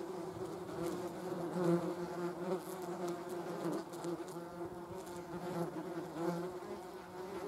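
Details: Continuous droning wingbeat of German wasps alongside a hornet, a two-toned hum whose loudness rises and dips as the insects circle close, with faint higher rustling flickers.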